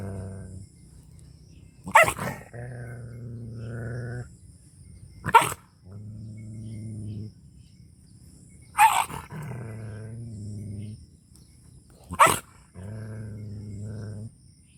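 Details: Angry dog barking in a Pakistani Punjab village: four sharp, harsh barks roughly every three to four seconds, each followed by a low, droning growl.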